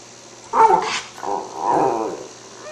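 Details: Cairn Terrier at home, hungry and smelling lamb chops waiting to go in the broiler, gives a short throaty growl-like grumble, then a longer rumbling vocal moan in a quiet room.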